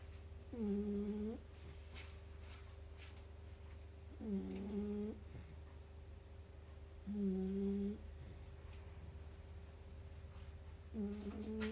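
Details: Kurumi, a roughly four-month-old Shiba Inu puppy, snores while napping in a carrier. Four short, whistling nasal snores come about every three seconds, each under a second long, over a constant low hum.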